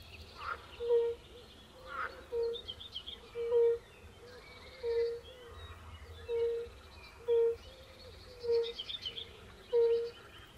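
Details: Fire-bellied toads, Bombina bombina, calling at a Polish forest pond alongside pool frogs: a steady series of soft, low hoots about a second apart, with faint bird calls and twittering higher up.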